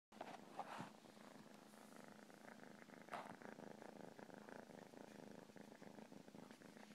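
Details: Domestic cat purring, a steady low rumbling drone with a soft rhythmic pulse. A brief louder rustle comes near the start and again around three seconds.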